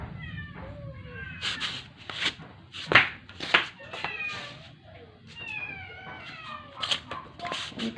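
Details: Sick rescued stray cat, indoors after a vet visit, not eating for 12 days and deteriorating near death: drawn-out, wavering meows, some rising then falling, repeated irregularly, with a woman speaking softly between cries and faint background music.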